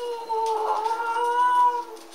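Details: Pug puppies, one called Simon, howl along as people sing Happy Anniversary; a sustained wavering howl holds steady, climbs slightly, then slides down and fades, with faint voices behind it.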